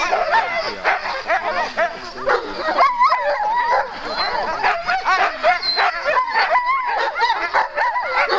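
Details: Two Alaskan malamute sled teams bark, yip and howl excitedly in a dense, overlapping chorus at the start line of a sprint race on 4 March 2012, the race's second day.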